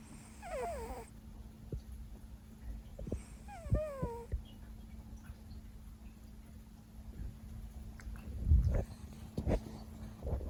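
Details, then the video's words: Sleeping Siberian cat Leo lets out short squeaky grunts that slide downward, two separate bursts, followed by soft low rustling and a steady background hum. "LOUD Snoring, Grunts"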